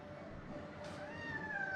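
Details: Aggressive white kitten at a veterinary clinic during a blood draw and vaccination. It lets out a faint, thin, rising-then-level mewing whine near the end. There is quiet room noise around it.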